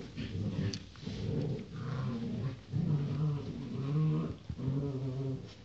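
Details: Rottweiler puppies born 28 January 2016, indoors: low, rough growling and whimpering sounds in uneven bursts, roughly once a second, with harmonic tones over a steady low background.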